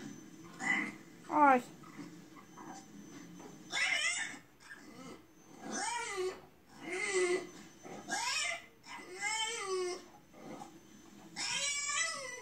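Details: French Bulldog indoors crying along while watching a crying bulldog on television, as if sympathising: a run of high, wavering whines and yelps, each about half a second to a second long, rising then falling, repeated every second or two, with soft human voices.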